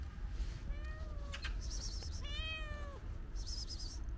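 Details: Female cat behind a fence in a park, asking for food; two drawn-out harmonic meows, the second longer and ending in a sharp drop, amid faint rustling and low background rumble.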